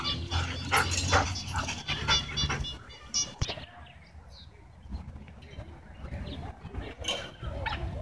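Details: Dogs at a dog park during a tense dogfight, stirred up after several owners kept their dogs leashed inside the park; a burst of harsh, overlapping barks in the first two seconds, then quieter scuffling with human voices in the background.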